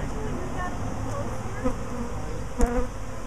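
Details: Honey bees swarming for a second time in a week, bees landing on a person nearby: a steady low hum of the swarm, overlaid by a few short, sharper whines of close bees and a couple of handling knocks.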